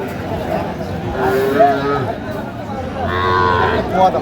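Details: Young cattle, small bull and heifer calves at a livestock market in Noakhali, Bangladesh, 30 March 2025; short, rising-and-falling mid-pitched calf moos in quick bursts over a murmur of voices and crowd bustle.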